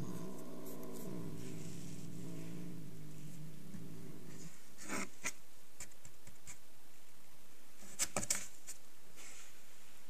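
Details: Angry cat growling low and steady for about four seconds, a rumbling buzz that stops abruptly, followed by quiet room tone with a few faint clicks and taps.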